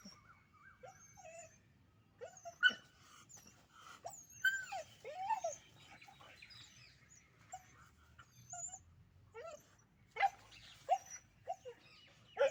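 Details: Puppies fighting give high, arching whines and sharp yips in quick, irregular bursts as they scuffle.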